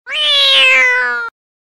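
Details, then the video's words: Cat meow: a single clear, drawn-out mew lasting just over a second, with rich harmonics, slightly rising then gently falling in pitch, cutting off abruptly into silence. "cat meow"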